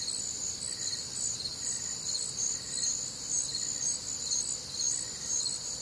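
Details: Crickets singing on a warm, humid summer night in the Midwest, a steady shrill wall of chirps with a fainter, lower pulsing insect call repeating roughly every second beneath it.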